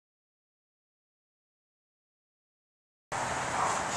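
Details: Three seconds of silence, then a sudden burst of steady broadband hiss until the end.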